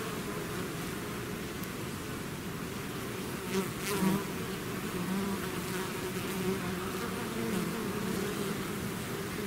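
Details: Bees swarming out of their hive: a thick, unbroken droning buzz, layered low hum with a closer bee sweeping past around four seconds.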